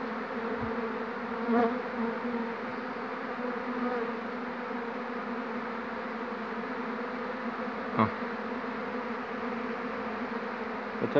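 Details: A swarm of honey bees is gathered around its captured queen on 2 June 2019 while a beekeeper settles them. There is a continuous low, even buzzing with a couple of sharp handling clicks.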